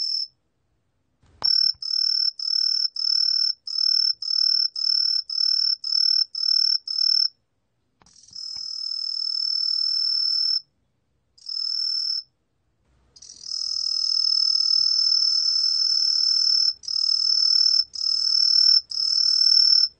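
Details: Truljalia hibinonis cricket song, National Institute of Biological Resources, 2020: a burst of evenly spaced high chirps, then a long continuous ringing trill, a short chirp, and more sustained trills broken by brief gaps.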